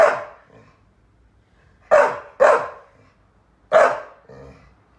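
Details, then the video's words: Rescued Saluki Lizzie protests that her Staffy Ridgeback companion Fred has quit their play, giving four loud, rough barks at irregular intervals, two in quick succession, with softer trailing sounds after some. "Lizzie complains that Fred stopped playing with her"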